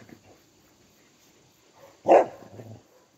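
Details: On 4 November 2022, a Cardigan Welsh Corgi gives a single sharp bark indoors after a quiet moment, while eagerly licking its owner's face and hands.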